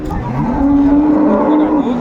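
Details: Dairy cow of an improved breed with its calf at Ambari livestock market, Dinajpur, 29 April 2024: one steady, even-pitched moo held for about a second, over busy market chatter.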